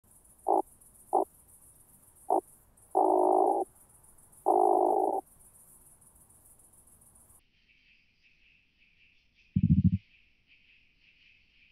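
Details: Oak bush-cricket at Starnberg, Germany, on 18 July 2023, picked up through a Pettersson D 100 ultrasound detector: short dry rattling bursts, some single and some longer, spaced irregularly, over a steady detector hiss that shifts pitch midway.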